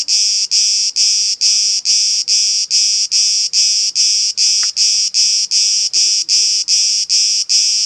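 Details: Cicada hidden on an olive tree in Elounda, Crete, Greece, making noise: a steady, loud, high, rasping buzz that pulses regularly about twice a second throughout, with no other clear sounds.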